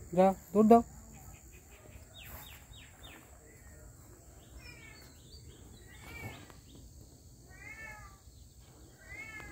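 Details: A cat gives two loud, short meows in quick succession at the start, then falls quiet while faint repeated bird or insect chirps and a steady high hiss continue outdoors.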